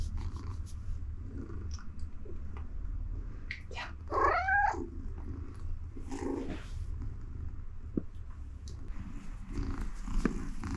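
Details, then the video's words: Siberia the pet cat purrs in bliss while petted on a donut-patterned mat indoors; an even low purr runs throughout, broken near the middle by a short rising meow-like cry. "The Purring Machine Has Just Started!"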